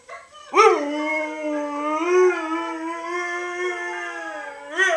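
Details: Doris, a three-year-old pet Siberian Husky, howls in reply: one long steady howl held for about four seconds with a slight rise near the middle, starting with a sharp onset and ending as a new howl begins.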